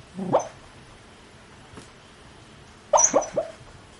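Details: Asleep dog grumbling, filmed near with a Canon PowerShot SX30 IS: a short low muffled whine, then after a pause a louder cluster of quick mumbled whimpers, against quiet room hiss.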